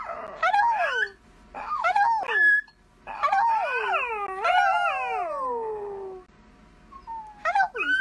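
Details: Dachshund puppy at play lets out drawn-out, wavering whines and howls that rise and fall in pitch, several in a row with brief pauses, ending in a short yelp.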